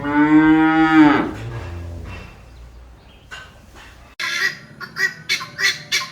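A cow gives one deep, drawn-out moo that drops at the end. Quieter sounds follow, then a run of loud, goose-like honks.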